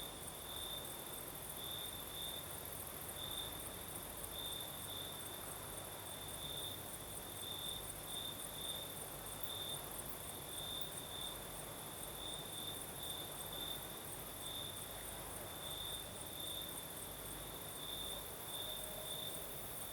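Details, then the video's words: Night chorus of crickets in southern Crimea under a gentle night breeze, a constant high-pitched trill swelling in short repeated pulses, layered over an even higher continuous shimmer and soft low background hum. "Звук ночи. Юг. Крым. Сверчки поют. Ночной бриз."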